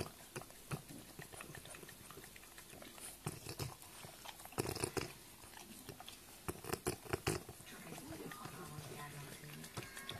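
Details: French bulldog indoors making rough, breathy snorts and grunting bursts, irregular and clustered, loudest around the middle, with a few low humming tones near the end and some human speech in the background.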